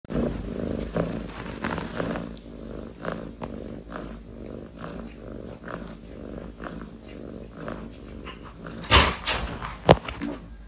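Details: Purring cat, a steady low rumble that swells and fades in a breathing rhythm about once a second, with two louder sharp noises near the end.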